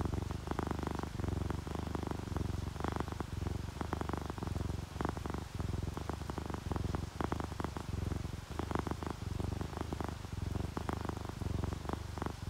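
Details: Sleeping orange tabby and calico house cats purring while relaxed and content: a steady low rumble that swells and eases in a regular breathing rhythm, with sharp scattered ticks of raindrops over it.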